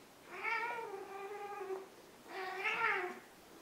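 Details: Ragdoll cat, one of a large and a small pair, giving two drawn-out meows, the first long and level, the second shorter and slightly rising then falling, in a quiet room.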